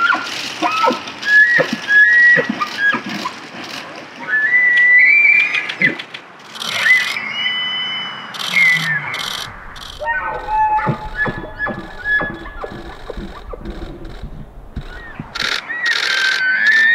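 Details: Elk bugling during the rut in the Canadian Rockies: high, whistled rising glides that break into squeals, repeated by several bulls.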